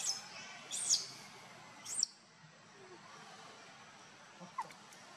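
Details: Young monkey Luno, wanting his father Tum to pick him up, gives shrill high-pitched squeaks, two short bursts about a second apart, then quieter ambient noise with a faint click near the end.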